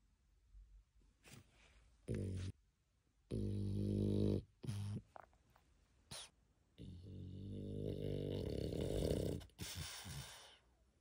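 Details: Sleeping dog, tired out from a walk, snorts and snores indoors in irregular bursts: short rough breaths, then a longer drawn-out rumbling exhale, with soft rustling in between.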